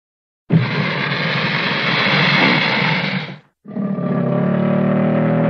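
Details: American alligator giving a deep, harsh, rumbling roar in two long bursts: one of about three seconds, a brief pause, then a second steadier, more tonal stretch lasting about two seconds.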